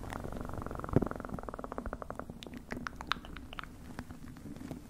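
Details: Close-miked cat purr, steady and throbbing with fast regular pulses that soften midway, scattered with light clicks and small rustles.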